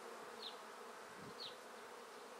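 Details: Swarm of honey bees in a tree, while a beekeeper collects them into a basket; continuous thick buzzing hum, with two short high whines of single bees flying past.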